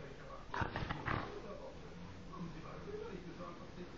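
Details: A dog making a pig-like sound: a short, rough, grunting snort burst lasting about half a second, then quiet background hum, with a person nearby speaking German to the dog in a coaxing voice.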